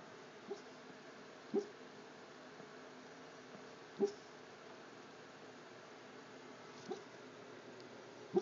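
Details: Peyton, a pet dog, barking while sound asleep. Soft, muffled single woofs come at irregular gaps of one to three seconds, about five in all, over a quiet indoor background.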